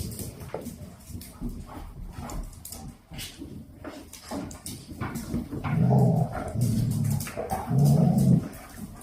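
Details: Dalmatian puppies, two months old, in a boisterous play session with mother and grandmother before sleep; soft shuffling early, then three strong low growls in a row near the end.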